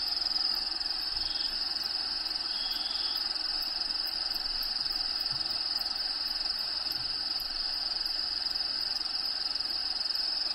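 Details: A continuous shrill cricket trill inside a bearded dragon's vivarium, home to Diego the dragon, with recorded habitat sounds in the background; the even, high buzzing pulses roughly twice a second.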